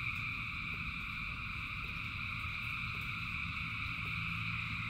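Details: Frogs calling in rain, a massed chorus of thousands holding a constant shimmering drone at several pitches, with faint fast pulsing and a low wash of rain noise below.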